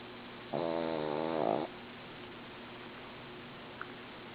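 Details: Sleeping female pet dog snoring: a single buzzy, harmonic-rich rasping breath lasting about one second, rising slightly in loudness at its end, then quiet room hiss with a faint click.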